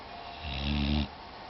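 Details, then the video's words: A single low, buzzy snore from Shadow, a sleeping female pit bull. It swells for about half a second and then cuts off sharply over a soft background hiss. "pittbull snoring in her sleep"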